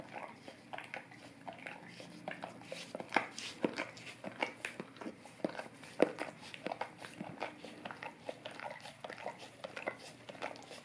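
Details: A Golden Retriever licks a tongue cleaning brush indoors, producing a steady stream of wet clicking and smacking sounds, irregular and close, in a small quiet room.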